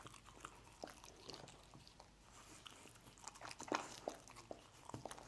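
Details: A dog chews scrambled egg. The clip has scattered moist smacking and crunchy bites, sparse at first and then denser, with a louder burst of chewing after the midpoint. There are no other noticeable sounds.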